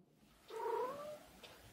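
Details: Domestic cat giving a drawn-out, two-part vocalization likened to the Japanese greeting "ohayo" (good morning), a smooth tonal call lasting about half a second in a quiet room, followed by faint human speech.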